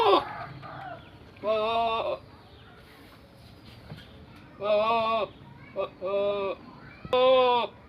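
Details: Goat bleating in a series of wavering, nasal bleats, each about half a second long, four in all with short pauses between; a faint human voice and low background murmur at the start.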